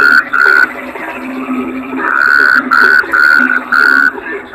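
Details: Kodok bangkong, a toad, gives a series of level, clear tonal notes, two early and four close together later, with a steady low hum of other callers underneath.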